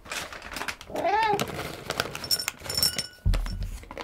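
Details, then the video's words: Pet cat indoors crunching dry cheese-flavoured treats: irregular dry clicks and crackles throughout, one short rising-falling meow-like tone near the start, and a dull thump toward the end in a small quiet room. "カリカリを食べる音[ASMR]Sounds eaten by a cat"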